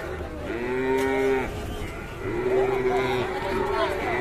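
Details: Angry, agitated cattle lowing: two long harmonic moos, the second rising then holding steady, with fainter overlapping moos and background music.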